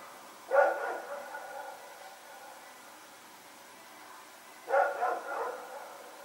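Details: Night barking by Rex and a companion dog running around in Pyrga, recorded Sep 21, 2018; a bark with a short trailing follow-up, a long pause, then another double bark.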